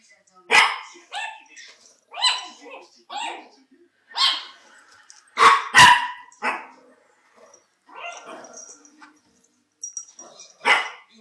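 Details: Chihuahuas Félia and Fox, two pet dogs filmed on 27 September 2009, give loud shrill yaps in an irregular string, several close together, mixed with people talking in the room.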